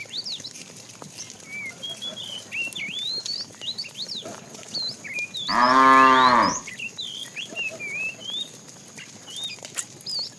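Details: Afternoon herding of tame cows, with a fat cow calling the female; a single short, loud moo of about one second rises and falls in the middle, surrounded by constant bright chirping of many small birds.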